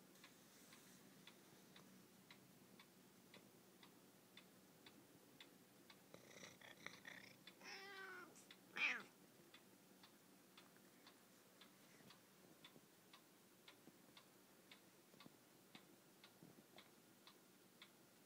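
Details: An old Siamese cat gives a drawn-out, wavering meow over the steady ticking of a clock.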